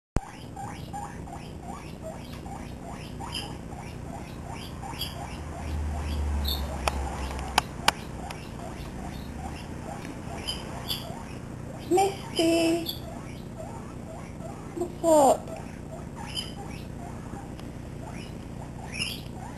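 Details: A seven-week-old pet guinea pig running around a living room with another guinea pig, chattering like a squeaky toy: rapid, steady series of short high squeaky chirps throughout, broken near the end by two louder, longer squeals.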